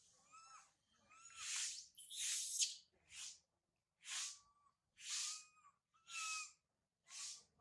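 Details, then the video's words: Monkey infant Sario wailing up a high tree once mother Sarah has gone: breathy hoarse cries at steady one-second intervals, each carrying a faint drawn-out whimpering tone, one longer strained scream near the start. "Sario crying loudly a lot on the high tree after mother Sarah leave her"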